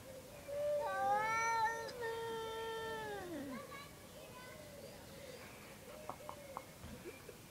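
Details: Two domestic cats give strange noises: a loud, sustained, whining yowl of about three seconds that bends sharply downward at the close, followed by quiet background and a few faint taps.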